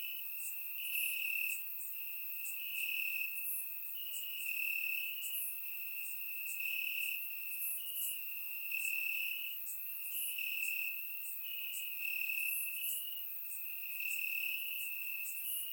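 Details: Crickets chirping in grass on a warm summer night in Bulgaria, recorded with a surround microphone: a steady high trilling band with pulses swelling roughly every second, overlaid by fainter higher insect buzzes.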